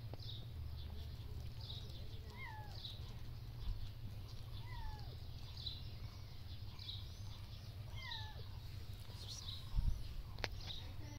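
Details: Outdoor kittens being cleaned by their mother cat in a shelter. Quiet, high meows fall in pitch, roughly three to four spaced a couple of seconds apart, against constant low background hum and occasional faint taps.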